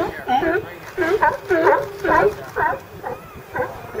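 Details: California sea lions recorded with ambient audio: hoarse, harmonic barks in short bursts roughly twice a second, some rising then falling in pitch, with gaps of quieter background murmur between them.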